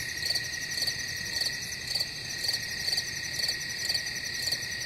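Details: Crickets in a steady chorus: a constant high shrill hum under bright pulsed chirps that repeat about twice each second, with a soft low rumble behind.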